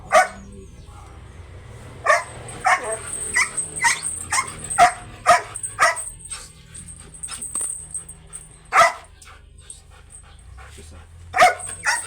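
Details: Aggressive Belgian Malinois at a stud service giving a run of quick barks, then sparser isolated barks with long pauses; a high steady whine-like tone sits in the background.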